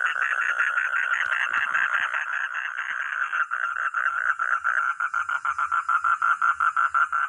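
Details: Frog or toad calling with a rapid, harsh, pulsed croak repeated about three times a second, blurring together at first and then breaking into sharper, evenly spaced pulses.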